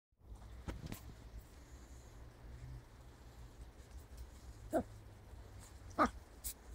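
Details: A West Highland White Terrier puppy with a ball gives two short, sharp barks about a second apart near the end, after quiet shuffling and a low room hum.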